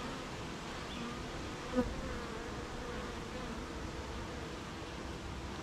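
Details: Honey bees at a beehive on a rainy morning, among gardens, farms and fields, making honey: a dense, steady, low buzzing hum under soft rain hiss, with one brief louder knock near the middle.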